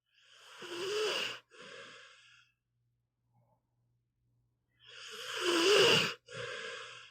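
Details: Pit bull named Meatball snoring while asleep: a long, rasping, breathy inhale followed by a shorter, softer exhale, then a few seconds of quiet before the next breath, over a faint steady low hum.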